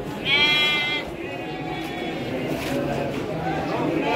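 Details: Garut sheep breeding stock at the Pasar Andir livestock market in Bayongbong, Garut, Indonesia, among young animals about three months old: one loud, wavering, nasal bleat lasting under a second, with a man talking and market murmur behind.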